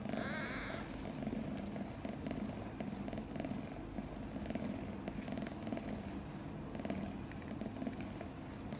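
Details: A newborn kitten, one of five born a few days earlier, sleeps soundly; a brief thin squeak opens, then a continuous low purr runs throughout with faint crackling.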